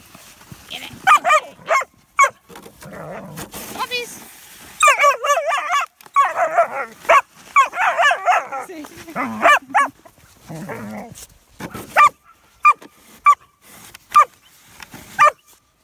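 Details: German Shepherd puppies at play in snow during shoveling; a person talks over them early, then bursts of rough yapping, and finally a string of single sharp yips spaced about a second apart.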